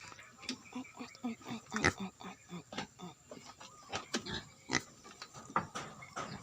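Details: Farm-raised herd of wild boar hybrid pigs kept in Vietnam: repeated short grunts and snorts at irregular intervals, some sharp higher squeals between them, with music playing underneath.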